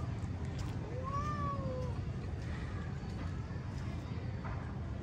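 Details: Cat in an aggressive fighting encounter lets out a single clear, arching meow lasting under a second, rising then gently falling. Faint fainter yowls trail after it against constant low-pitched background hum.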